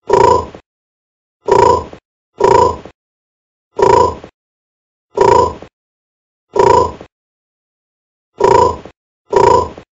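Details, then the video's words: Bullfrog calls, professionally processed: deep, resonant grunting croaks about half a second long, eight in ten seconds at uneven gaps, some closely paired, against complete silence with no other sounds. "Bull Frog - Sound Effect"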